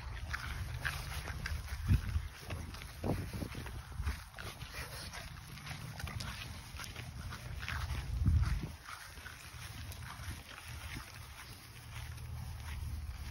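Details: Benny, a French Bulldog champion known as GrCH Lilac Haze Bendrix, breathing through his nose during and after a walk: soft, low snuffling breaths in irregular pulses, with outdoor background noise and a steady faint hiss.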